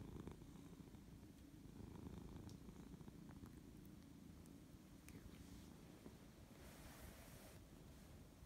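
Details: A Siberian cat that does not want to wake up purrs steadily and low, a continuous rumbling throb that runs through the whole recording, with a few faint clicks and light rustling.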